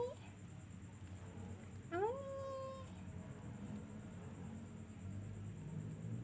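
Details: Kitten giving one short meow that rises and then holds steady, with a clear harmonic tone, over a low indoor hum and a faint human voice.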